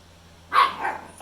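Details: A pit bull puppy gives a sharp, high bark trailing into a softer yelp, demanding that his brother, another pit bull puppy, bring back a toy.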